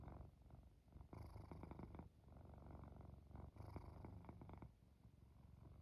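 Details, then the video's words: A cat falling asleep purrs and snores, a low vibrating drone pulsing with its breathing, two stronger swells near the first and fourth seconds over a quieter steady hum. "Cat Purring, Snoring and Falling Asleep"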